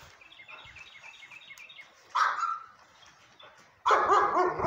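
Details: Sable German Shepherd named Cakes lets out two separate harsh barks, the second louder and longer, after a quiet stretch with faint high chirping in the background.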